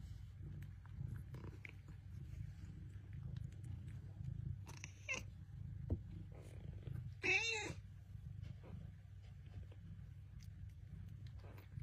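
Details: Bengal cats, a mother and her kittens, talking: a low steady purr rumbles throughout, broken by a few short meows, one louder harmonic-rich call near the middle.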